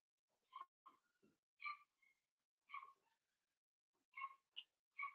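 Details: Seven-week-old blenheim Cavalier King Charles Spaniel puppies, a litter of five in a home pen, giving bright harmonic squeals and whimpers, short piercing notes repeated irregularly about every half second to second, otherwise quiet.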